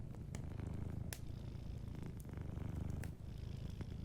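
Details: Close, rich purring of a sleeping cat, a dense low rumble with a brief dip near the end, accompanied by soft fireplace crackles.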